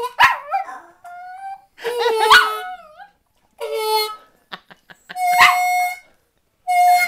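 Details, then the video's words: Karmie the dog howls along to blues harmonica in a duet. Wavering, sliding howls rise and fall in bursts about every second or two, interleaved with steady, reedy harmonica chords that drop away in short pauses. "dog howls along with blues harmonica"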